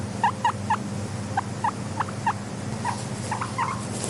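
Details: Short, clipped squeaks from a pet guinea pig, mostly single with a few quick pairs, repeating every third of a second or so over a constant low background drone.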